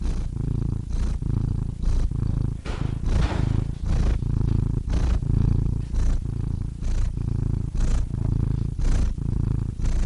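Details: Domestic cat purring steadily and close, a deep low rumble pulsing in breath cycles roughly once per second, with brief airy inhale breaks between purr phrases.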